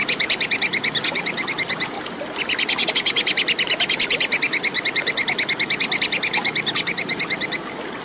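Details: Clear plantain squirrel (tupai kekes) call, a fast series of sharp, high chipping notes about three per second, broken by one brief gap after two seconds and then continuing steadily; background otherwise quiet.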